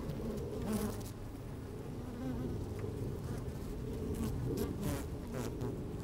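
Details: Inside an opened beehive on a sunny, slightly windy day, honey bees moving about and occasionally buzzing: steady low hum with brief higher wingbeat flares and soft crackling movements.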